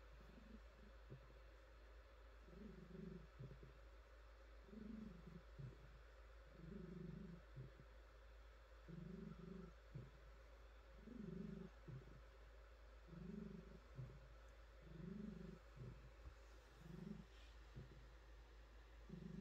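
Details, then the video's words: Female domestic cat purring while her soft fur is petted and she stretches; low rumbling purr in steady breathing cycles, a louder pulse roughly every two seconds, continuing throughout with faint rustling of hands on fur. "Cat Purring"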